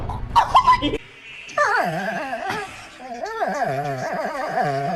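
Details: Dogs making weird noises: drawn-out, wavering whines and moans that bend up and down in pitch across several seconds, following a short burst of mixed voices and clatter at the start.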